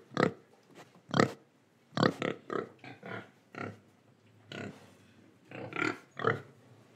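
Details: Indonesian pig producing irregular clusters of rough oinks and snorts, some loud and some soft, with short silent gaps between bursts.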